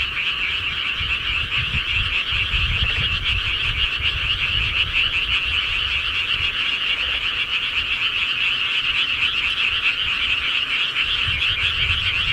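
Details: Countryside frogs at night, a steady massed chorus of quick rattling croaks in a high band, with soft low rumbling underneath throughout.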